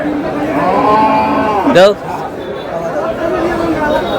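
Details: Cows with calves for sale at Aftabganj cattle market, Dinajpur, Bangladesh, on 31 March 2026. A single brief moo, falling then rising, rings out over constant crowd chatter and bargaining voices.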